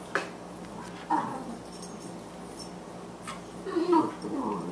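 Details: Two Boxers at play indoors, a 14-week-old 18-pound female puppy named Margie and an older male, Lou Dog; short growling and whining bursts around one second and again near four seconds, over steady room hum.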